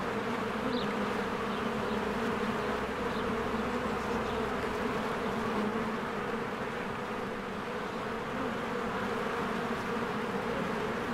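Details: Honeybees swarming busily in and out of a spring hive as trees green and flowers bloom; a steady, dense buzzing hum of many insects, with an occasional faint high bird chirp.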